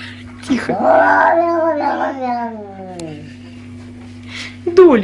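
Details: Domestic cat from a compilation of funny cat sounds: a drawn-out meow that starts after a brief rising note and slides steadily downward over about three seconds, over a constant low hum, ending with a short sharp sound.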